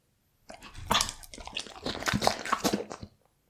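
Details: Bull Terrier eating raw beef indoors, recorded close up for ASMR: wet, crunchy chewing and biting in quick irregular bursts for about two and a half seconds, with smacking and tearing noises, then quiet.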